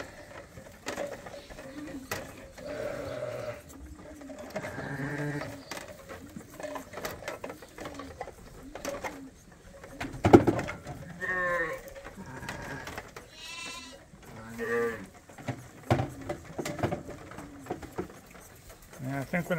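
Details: Bottle-fed lambs on a farm, still with their mothers but topped up by bottle twice a day, bleat repeatedly in wavering, harmonic cries that overlap at varied pitches, with clattering and faint music in the background.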